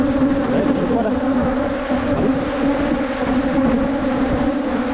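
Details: Asian honey bees from a wild cavity nest, found on a 2022 honey-hunting trip in the Thai countryside. A loud, continuous drone of massed wings hums steadily, with slight swells and faint background rustling.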